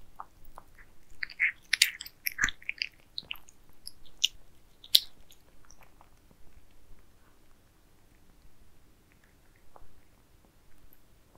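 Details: Domestic cats feed on towers of minced meat; a dense cluster of moist chewing clicks in the first seconds thins to sparse, quieter bites later, recorded indoors with little background.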